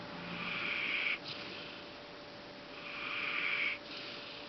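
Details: Fang, a Golden Retriever, asleep indoors and worn out after cheering on a friend at a dog show at Intex Osaka. Two hissing, breathy snores about two and a half seconds apart, with quiet room hum between them.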